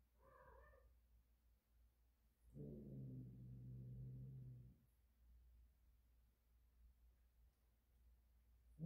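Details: Cat in heat: one short meow, then a sustained low, throaty moaning yowl of about two seconds, followed by quiet room noise.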